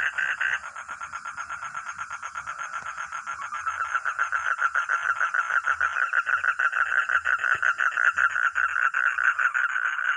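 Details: Frog or toad calling in a dense, rapid train of rattling pulses that runs almost without pause, swelling slightly in loudness and holding a steady, fairly high pitch throughout.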